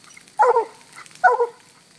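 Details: Fog, a black and tan coonhound, treeing on a raccoon released from a cage; two clipped double-note barks under a second apart.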